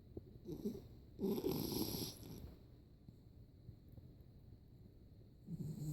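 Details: Yorkshire terrier sleeping with eyes open and tongue out, snoring: rough, rattling snore bursts, the longest lasting about a second, then a quiet stretch before another snore starts.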